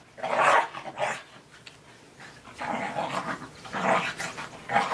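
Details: Captain Jack "Sparrow", a three-legged Australian Terrier puppy, romps in snow at Dunham Lake, giving a rapid run of rough, gravelly barks and growls, about five bursts within five seconds, loudest at the start and end.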